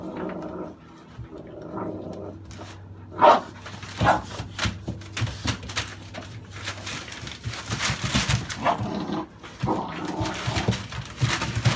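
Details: American Staffordshire Bully dogs, with puppies born November 2017, bark after a quiet start with a low steady hum. Barks grow frequent and ragged toward the end, mixed with scuffling sounds.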